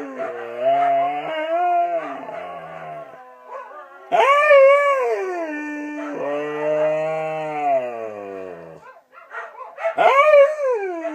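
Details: Five Siberian huskies howling together for their owner's birthday: overlapping tonal woos that rise and fall, rich harmonic voices sliding up then drooping, several long held howls with short pauses between.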